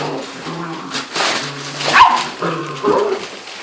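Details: Seven-week-old puppies, nine in a litter, indoors, playing and sassing each other; short whines and a sharp yip near the middle, a low steady hum underneath, a woman's voice nearby.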